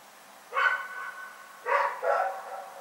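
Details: Rex the dog barking in the night on 27 February 2018: one bark trailing into a drawn-out ringing tone, then two more quick harsh barks close together.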